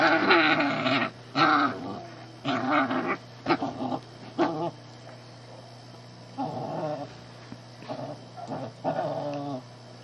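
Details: Shih tzu puppy at home bothering the household cat, which doesn't seem to mind; rough, rumbling playful growls come in bursts of about a second, broken by short pauses and yips, over a steady low electrical hum.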